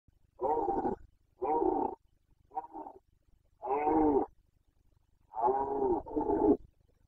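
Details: Wild Carpathian red deer stag in Bucovina roaring during the 2021 breeding season (boncănit): six hoarse, harmonic bellows of about half a second, the last two run together, in a quiet setting.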